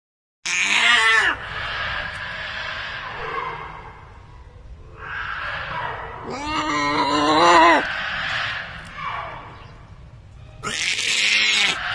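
A young hyena gives harsh, wavering squeals and screechy cries in repeated bursts.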